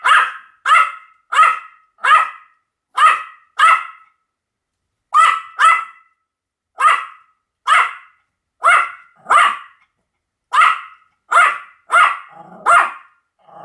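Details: Pomeranian barking steadily, about eighteen short, bright yaps delivered singly and in quick pairs with brief gaps, clean and loud with no other sounds.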